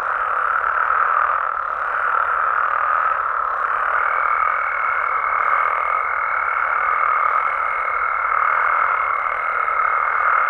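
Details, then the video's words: Mexican frogs and toads calling at night in their natural habitat, a dense unbroken midrange chorus of croaking voices; from about four seconds a thin, steady high whine runs beneath the throng until the end. "Mexican Frogs & Toads Sounds"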